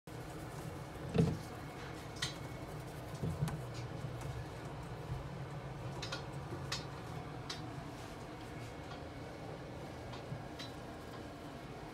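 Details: Quiet indoor room with a low hum, a few clinks and soft knocks, and no animal sound.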